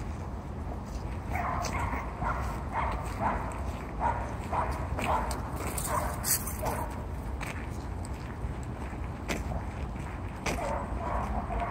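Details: Two Dobermans at play, wrestling like sumo wrestlers: Baba, an 8.5-month-old pure European male, and Zoey, a one-year-old European-American mixed female. Short gruff barks and growls come in bursts roughly every half second, with faint human voices.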